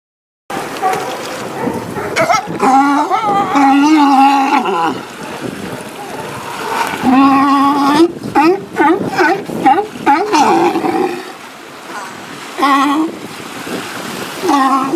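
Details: California sea lions gathered in large numbers on Monterey's US Coast Guard Pier breakwater interact, giving loud, harsh, honking barks in overlapping bursts, with a splash of water nearby.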